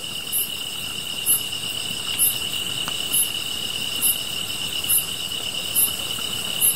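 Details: Grass insects singing by a fire, a continuous high shrill buzz layered under very high chirps repeating roughly every second, eight in all, with a faint crackle and soft rushing noise.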